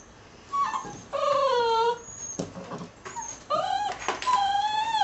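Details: Ten six-week-old mixed-breed puppies, American Staffordshire terrier by Border collie/German shorthaired pointer, whine in drawn-out, tonal cries that slide downward, several overlapping whimpers and yips following in quick succession.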